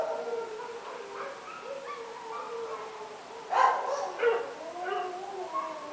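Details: At midnight, dogs are heard at a distance with drawn-out, wavering howl-like tones and a few sharper barks rising midway, all fairly faint over steady background hiss.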